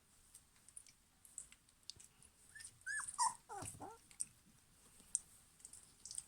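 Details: German Pinscher puppies from a 2020 litter: faint high whimpers and squeaks, a few bending downward, clustered around the middle, with soft rustling and thumps and a steady high background hiss.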